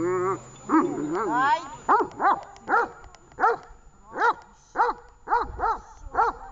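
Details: Tash the dog during training in Horlivka on 18 August 2019: a person talks briefly at the start, then the dog gives about nine sharp, harmonic barks in irregular succession, each a short arched yelp.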